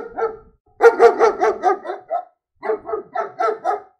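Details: German Shepherd dog barking in two bursts: a short pair of barks, a pause, then a fast run of about six rough, mid-pitched barks, and after another gap a second run of five barks.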